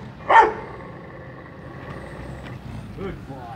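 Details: Rottweiler in attack and speak training in Mumbai barks once on command, a single short loud bark followed by quiet room noise and faint low murmurs.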